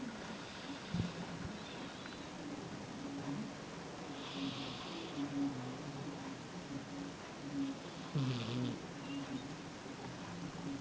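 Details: A Sphynx cat sleeping on a person's lap snores softly, with low rumbling breaths repeating every few seconds.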